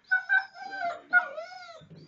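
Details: Pet Alaskan Malamute indoors at dinner at the owner's mother's home, giving drawn-out, wavering, howl-like whines in three rising-and-falling phrases, with a short low rumble at the end.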